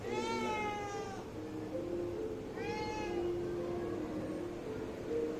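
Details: Kitten asking its mother for food with two clear, drawn-out meows about three seconds apart, each slightly falling at the end, over a low steady hum.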